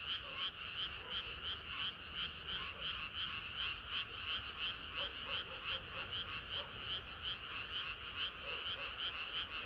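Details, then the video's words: Frogs singing together on a hot summer night. Loud, regular bursts of rattling croaks repeat several times a second, while a few deeper, softer croaks pop up in the middle. "개구리들의 합창은 끝이 없어라"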